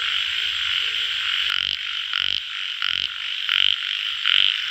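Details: Tiger frog, also called yellow frog, calling: loud, harsh, pulsed croaks repeated roughly every second, each short and buzzy, over a steady high-pitched hiss of background insects or noise.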